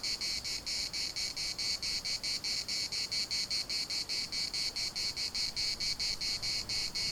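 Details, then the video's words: Cicadas in the municipal park of Larnaca: a piercing, high, grating buzz pulsed quickly and regularly, roughly four to five beats each second, with nothing else clearly audible. "CICADAS at the municipal Park Larnaca"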